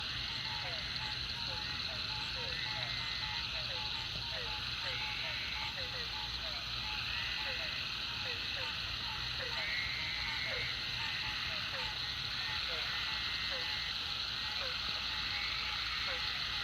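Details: Frogs calling at the Food Lion pond after a heavy rain: a dense, continuous high chorus of overlapping trills, with short pips repeated several times a second and brief downward-slurred croaks scattered throughout.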